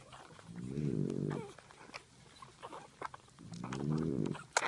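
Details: Nursing French Bulldog mother dozing with her puppies, giving two drawn-out, low, rough groaning breaths about three seconds apart, with small smacking and clicking noises in between.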